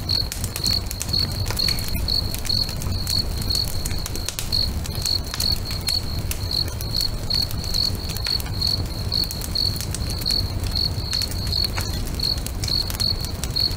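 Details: Lakeside crickets at sunset chirp in an even, high-pitched pulse, about two to three chirps each second, while a bonfire snaps and crackles sharply and a soft low hum runs underneath.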